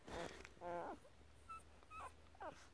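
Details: An 11-day-old Great Pyrenees puppy, female, vocalising softly: a series of five brief, thin squeaks and whimpers, some rising, spaced about half a second apart, in a quiet room.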